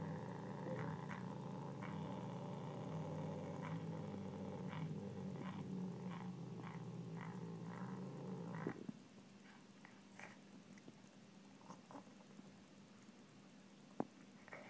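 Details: Savannah cat kept as a pet growls over a meal of pork, a sustained deep rumbling growl with layered harmonics lasting nearly nine seconds before it stops, leaving faint clicks and a sharp tap.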